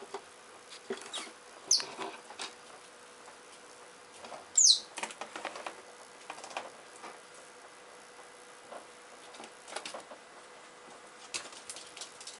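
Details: Digging Richardson's ground squirrel in a fight: two quick, very high chirps that sweep downward, the second louder, over steady pattering and scraping of soil throughout.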